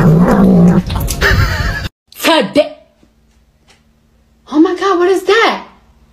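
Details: Pet cat meowing indoors, two drawn-out wavering meows separated by silence, the second longer and rising then falling; a woman's excited exclaiming voice at the start.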